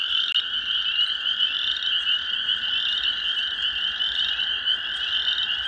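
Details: A dense spring peeper chorus at dusk on 15 April 2023 at an old pond in an old sand pit, after a very warm day of 27–28 degrees, with the frogs very close: countless high, ringing peeps blending into a near-deafening wall of sound.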